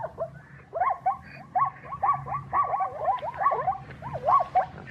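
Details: Zebra giving a long run of hoarse, barking yips, rapid rising and falling notes strung together in uneven bursts over several seconds, with a low rumble in the background.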